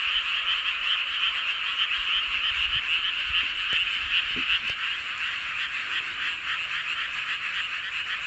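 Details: Full-moon night chorus of many frogs in Seowon-myeon, Hoengseong, Gangwon Province, South Korea; a constant shrill croaking wall of sound pulsing nearly three times a second, with a few faint clicks midway.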